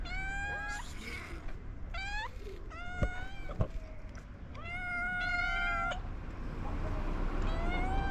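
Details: Hungry stray cats in Morocco meowing while waiting for food, ginger cat among them: several loud, clear, harmonic meows, some rising then level, following each other in quick bursts over a low rumbling background.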